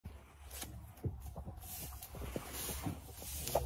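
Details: Only low thumps, soft clicks and a faint engine-like rumble are heard, with no animal calling.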